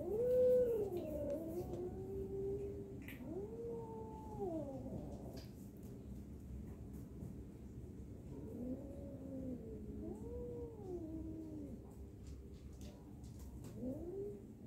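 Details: Fighting domestic cats trading long, wavering howls and yowls that rise and fall in arching bends, in several bursts with short pauses between them, over a low background hum.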